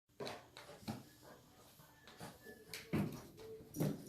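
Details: Vizsla puppy named Chili, 10 weeks old, indoors in a small room, giving soft, thin whimpering tones that hold briefly among sharp knocks and thumps of a small chair being moved about.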